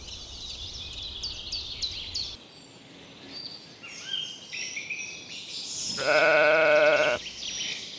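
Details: Lambs grazing in a cool green forest: a single loud, wavering bleat with a tremulous quality near the end, preceded by softer scattered high rustles and chirps, over a faint background.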